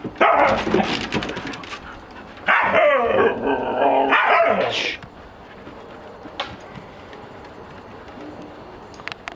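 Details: A young Siberian Husky male gives a burst of yips, whines and a long, wavering howl-like vocalization right after being reunited with his mother, father and brother.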